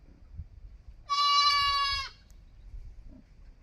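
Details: A kid goat utters a single strong bleat of about one second, steady and bright with a slight tremble, set against quiet low-pitched background noise.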